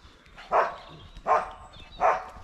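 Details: Male dog that has found a squirrel outdoors, barking sharply three times at even intervals of roughly three quarters of a second, each bark short and mid-pitched over quiet background hiss.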